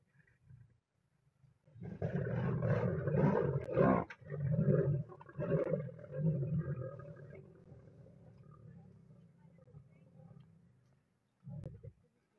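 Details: Three lionesses guarding a shared meal by a river in the Masai Mara against an approaching Nile crocodile; long continuous rasping growl lasting several seconds, rough and loud at first, then fading to a low rumble, with a brief final snarl.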